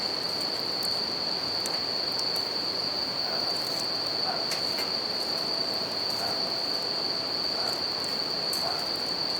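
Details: Nighttime bell cricket song at a campfire beside a river: an unwavering high ringing note, broken only by occasional sharp fire crackles, set against a broad murmur of flowing water.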